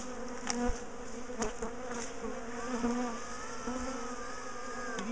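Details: Bees of a big garden colony being moved out of their top bar hive; softer, more distant buzzing hum with a few clicks and a faint thin whistled tone drifting in the background.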